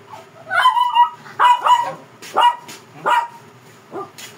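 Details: Fierce Shih Tzu protesting while being groomed, letting out five sharp, high yelping barks in quick succession, roughly one every second, with short quiet gaps between them.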